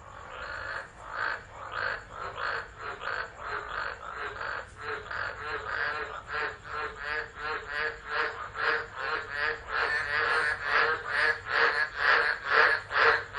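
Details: Chorus of tropical frogs singing in a tropical storm at Driver, Northern Territory, Australia, in December, phone recording; rapid throbbing croaks repeated over two per second, swelling louder toward the end.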